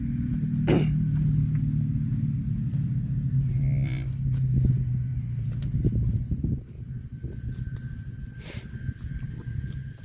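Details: Cattle lowing: a deep, drawn-out moo that holds low and steady for several seconds, then fades under a constant low rumble like an engine, with a brief sharp knock early on.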